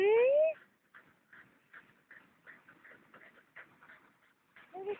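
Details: Dalai Li, an adopted former stray Tibetan Terrier, excited after getting the tennis ball: a loud, rising, nasal whine opens, soft murmuring speech follows, and another short whine closes.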